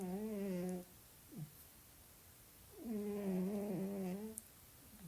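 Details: Sleeping cat snoring indoors: two drawn-out, buzzy, low harmonic breaths separated by a quiet pause, the second longer with a slightly wavering pitch.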